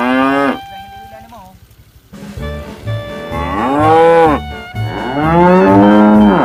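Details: Tame cows being herded during the day give long, drawn-out moos that swell in pitch and then sag, over a steady low thumping beat.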